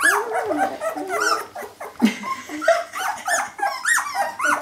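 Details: Several Jämthund puppies at kennel Fenrisulfr in 2012, giving a tangle of rising and falling whines, squeals and short yips that overlap without pause.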